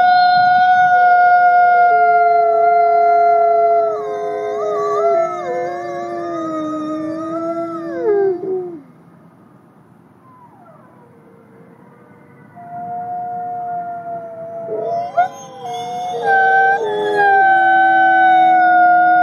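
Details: Sustained, sliding howls from Nikai, a captive-born ambassador gray wolf at the Wolf Conservation Center, South Salem, New York, with several pitches overlapping and falling away, a few seconds of near silence, then the long steady howling resumes.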